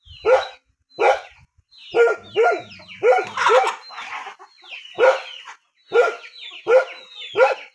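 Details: Dog in a rural area barking in a steady series of about ten sharp, harsh barks, roughly one every two-thirds of a second, with short quiet gaps between them and a louder, denser cluster in the middle.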